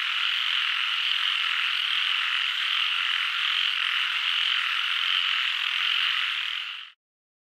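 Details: A thick, steady frog chorus of countless overlapping calls runs unchanged for about seven seconds, then cuts off abruptly into silence.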